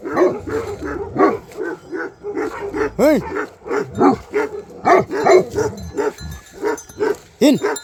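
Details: Bhote Kukur in Nepal reacting to a suspected leopard or wild boar: steady deep barks, with two drawn-out, rising-and-falling yelping howls in between.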